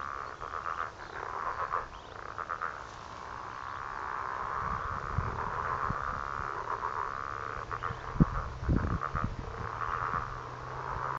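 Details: A dense chorus of frogs at a pond in Heathcote, a steady mid-pitched trilling with rapid pulsed clicks running throughout.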